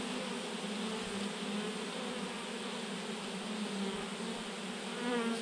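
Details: Thousands of honey bees in a swarm clumped on a branch, producing an even, continuous buzzing hum; near the end a single bee flies close, its whine rising and louder.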